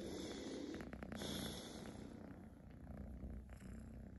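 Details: Pet kitten purring loudly in a short stretch: a continuous low rumbling throb with soft rhythmic pulses, plus some brief scratchy rustling in the middle.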